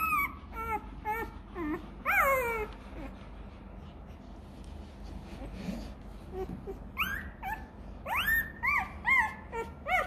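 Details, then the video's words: Hungry Rottweiler puppy crying for milk: bursts of high, squeaky, wavering whines early on, a quieter lull in the middle, then rising, sliding whimpers returning strongly near the end, repeated in quick succession. "Chó Kêu Đòi Sữa: Nghe Sao Thảm Thiết! Hungry! Where s Milk?"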